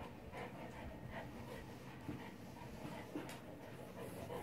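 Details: Four-month-old male Neapolitan Mastiff puppy exercising on an exercise ball, breathing in quick, soft, rhythmic pants about three per second against a steady low background hum.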